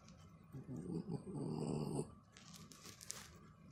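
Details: Chobi, a Corgi crossed with a Pekingese, makes a throaty snore-like rumble as its head gets a scratch, a rapid pulsing growl lasting about a second and a half, then handling rustles indoors.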